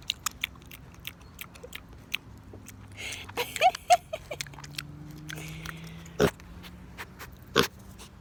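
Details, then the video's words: A male pig munches an apple: loud, widely spaced crunching bites with wetter chewing between them, a few short squeaky notes, and a low hum in the background. "Pig eating an apple. 🍎 He makes it sound so delicious!"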